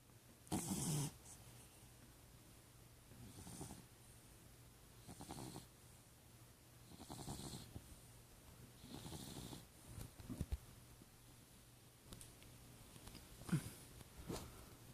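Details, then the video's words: Cat snoring while asleep: soft breathy snores in slow, uneven bursts every two to three seconds, some louder with a brief snort, over a steady low hum in a quiet room. "Snoring Cat"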